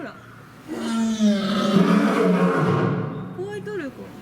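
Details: Captive male lion at Fukuoka City Zoo, Japan, recorded around September 2021, giving one long, deep roar that swells for about two seconds and then trails off, followed by a brief, higher vocal sound at the end.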